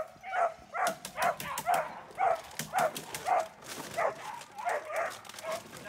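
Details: Dornan, a German Shepherd in protection training, barks steadily at about two barks per second, each bark short and forceful, while people talk in the background.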